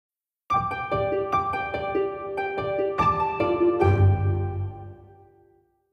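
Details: Plucked harp notes ring out in a gentle melodic run, with lingering low tones fading toward the end.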